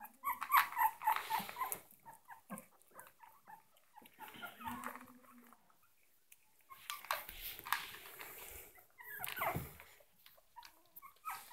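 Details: Yorkshire Terrier puppies indoors, giving a busy run of short high whimpering and squeaking calls, several rapid in a row near the start, with scuffling and rustling between bursts and a brief low growl-like sound mid-way.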